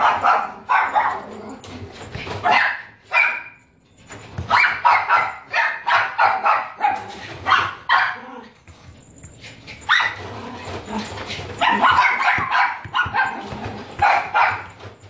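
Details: Young female Shih Tzu, white and brown coat, born 30 January 2017, at a pet shop, yapping in repeated sharp bursts with short pauses between runs of barks, and faint voices and room noise behind.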